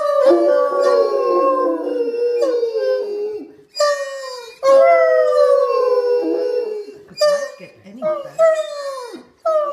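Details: Three Otterhounds, Bella, Phoebe and Ozzy, howl for a contest. Long drooping howls overlap, then break into shorter, choppy yelping howls with gaps. Quiet human speech is heard in the background.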